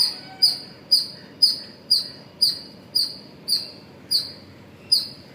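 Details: Squirrel calling in the morning hours at Pozhichalur: sharp, high-pitched chirps with a short downward slur, repeated steadily about twice per second, ten in all, over a soft low background hiss.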